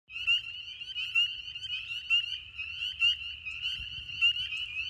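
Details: A dense spring peeper chorus in a swamp: countless high, piercing peeps overlapping into a continuous shrill ringing.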